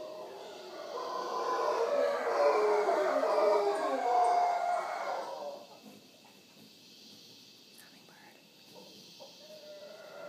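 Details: Morning howling from wild howler monkeys at Punta Uva, Costa Rica, close to the Manzanillo Wildlife Refuge: a dense, throaty roaring chorus for about five seconds, then quieter background with light clicks and insect buzz.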